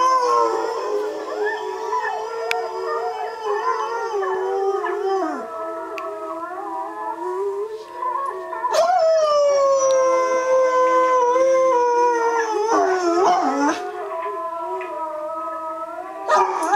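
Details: A Bullmastiff howls in long, wavering tones, joining recorded wolf howls played on a computer, the voices layered together.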